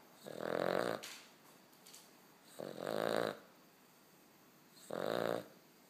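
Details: Sleeping puppy snoring indoors: three rasping, buzzy snores of about half a second to a second each, spaced roughly two seconds apart, with quiet breathing pauses between them.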